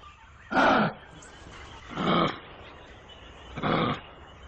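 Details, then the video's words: Kangaroo calling in three hoarse, noisy rasps spaced about one and a half seconds apart, the first loudest, with faint background hiss between them. "What Sound does a Kangaroo Make | Sound of Kangaroo"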